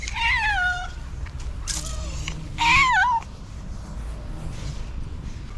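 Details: Two domestic cats, one of them pregnant, meowing to ask for food: three clear, drawn-out meows, the first and last with bending, wavering pitch, mixed with a woman speaking and coaxing them, over low background hum.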